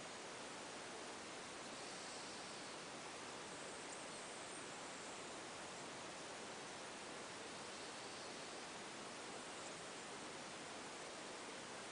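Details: Steady broadband hiss like rushing water or static fills the whole recording, with no animal voice standing out.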